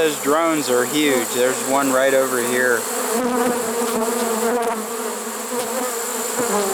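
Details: A late-season honey bee swarm in a trap, September 2019, gives a continuous low droning hum; a person talks over it for the first three seconds before the buzzing carries on alone.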